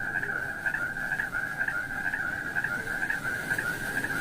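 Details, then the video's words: Frogs among mossy wet rocks with snails nearby, giving a continuous, rapidly pulsed trilling drone held at one steady mid-high pitch, with slight rhythmic swells about twice a second and a faint background hiss. "Funny frog sounds"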